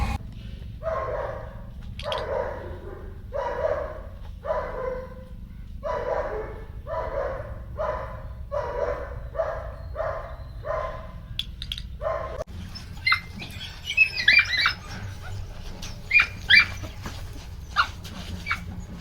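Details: Belgian Malinois puppies on their 50th day, high prey drive, in Tamil Nadu: a run of barks about one per second for twelve seconds, then higher, scattered yips and squeals over low background rumble.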